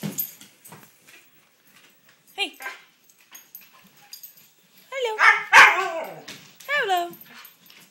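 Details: Koda, a female pet dog, indoors and being urged to say hello, answers after a stretch of human talk with a loud burst of harmonic yowling barks and a sharp yip, followed by a second drawn-out wavering cry.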